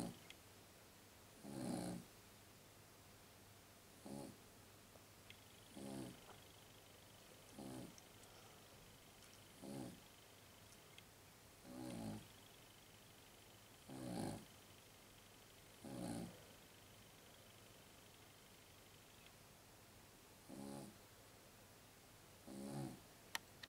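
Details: A Jug dog asleep and snoring, giving about eleven brief, throaty snorts at slightly uneven gaps of roughly one and a half to two and a half seconds, with a faint steady tone in the background.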